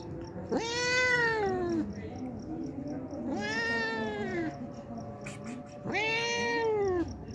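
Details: Three long meows from a hungry homeless cat that comes daily for milk, each rising then falling slightly, about two and a half seconds apart, over a low background hum.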